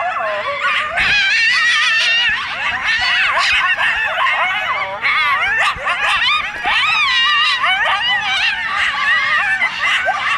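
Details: Coyote pack near a golf course by a canyon in Burbank, California, making loud noises: dense chorus of rapid wavering yips and quavering high howls from several animals, overlapping without pause throughout.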